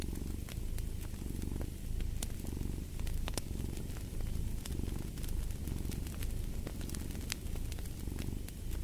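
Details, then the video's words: Low, rhythmic cat purr rising and falling in regular waves about every second, with crisp wood-fire crackles popping over the top. "Fall asleep to the Purring of a Cat"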